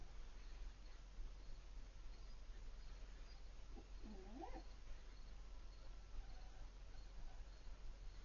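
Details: A Siberian Husky puppy about four months old, named Piper, calls out at the sight of her older dog friend Bandit from across the street. One brief, quavering, up-and-down whine sounds midway through a quiet, hissy outdoor background.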